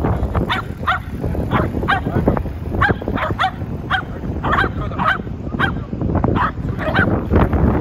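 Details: Pet Shetland Sheepdogs Komugi and Tsumugi, with Komugi joining in: a rapid series of short, sharp barks, about two per second, at an even pace throughout, over a low background rumble.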